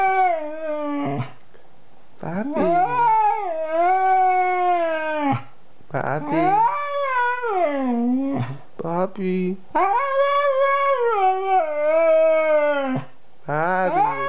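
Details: Kanu, a 2-year-old Siberian Husky, 'talking' in a run of howled, yodelling vocalisations that rise and fall in pitch, broken by short pauses, about eight phrases in fourteen seconds, inside.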